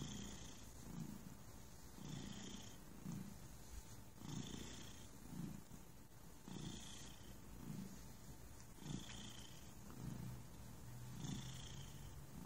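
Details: Relaxed cat purring steadily, a low vibrating rumble rising and falling with each breath roughly every two seconds, the inhale phases adding a brief airy hiss.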